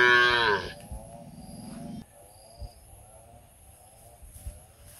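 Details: Cow in India, shaking its head while calling its friends to eat together: a loud harmonic moo falling in pitch, a lower buzzy continuation to two seconds, then quiet with faint thuds.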